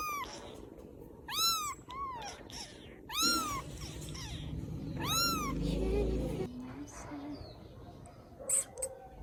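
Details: Rescued baby kittens in Vietnam, settling down to sleep, give high arched meows, several in quick succession in the first half, then fall mostly quiet apart from soft rustling and a few faint squeaks near the end.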